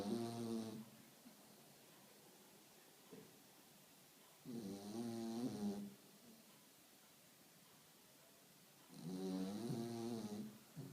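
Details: Spaniel snoring: three harmonic, rasping snores, each lasting about a second and returning roughly every four to five seconds, separated by quiet breathing.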